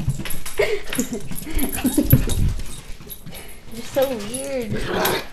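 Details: Little puppy Hershey during play fighting at home gives quick soft yips and grumbles, then a wavering, rising-and-falling whine. A woman's voice talks over parts of it in a small room.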